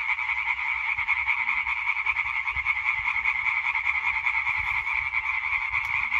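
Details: Chorus of European tree frogs recorded 20 May 2023, a steady mass of fast, raspy pulsed calls overlapping without break, with faint low rumbling noise beneath.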